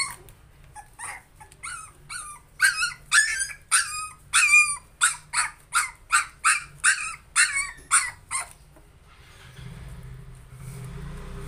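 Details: Frightened puppy trying to overcome fear gives a run of about fifteen high, clipped yips at a steady pace, strongest in the middle, then falls silent as low rumbling noise takes over.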